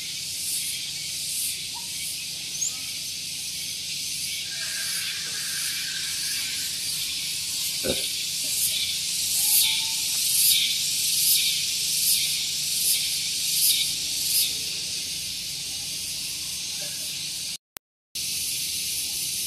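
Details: Morning cicada song at Gunung Geulis in Bogor, West Java, beside a parking area; continuous piercing buzz that swells into rhythmic pulses roughly once a second, with a brief knock and a short break near the end.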